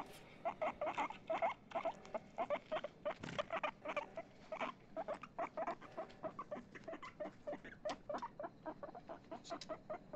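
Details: Excited pet guinea pig named Chip chatters in a regular series of short, clipped squeaks, roughly five each second, evenly spaced and continuing for the whole stretch, with a brief thump early on.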